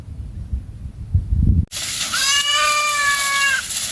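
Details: Goats of one family eating in a forest; after a stretch of low rumbling noise, a single steady, harmonic, level bleat of about a second and a half.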